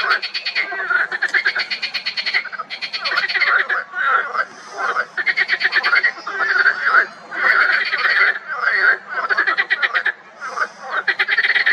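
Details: Springtime pond chorus of marsh frogs, dense and loud, with fast pulsed rattles and laughing, chuckling phrases overlapping almost continuously, pausing only briefly between bursts.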